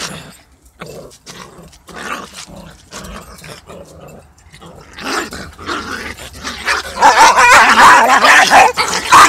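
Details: Two dogs fighting, a small one attacking a big one: rapid harsh barks and snarling growls, building into a loud, continuous scuffle of yelps and growls in the last seconds.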